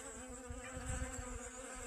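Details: Honey bees foraging for pollen on sunflowers in a garden, sunny and about 55 degrees, 25 August 2021, after several rainy days; a continuous droning hum, even and rich in overtones, over gusty low wind thumps.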